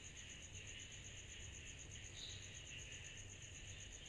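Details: Summer night cicada chorus, an unbroken shrill pulsed tone with a wavering mid-pitched buzz beneath it and a low background hum.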